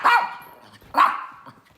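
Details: Pet mini poodle Teddy, who runs and hides from his harness seatbelt, with another dog, Wolfie, present; two sharp barks about a second apart, the second trailing into a brief whine.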